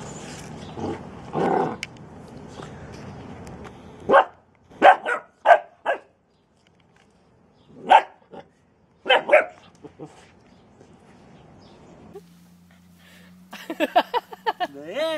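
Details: Bernese Mountain Dog puppy at play, giving short sharp barks in two bursts, a quick run of four around the middle then two more spaced apart, between quiet stretches; a sliding warbling electronic tone and a low hum close the recording.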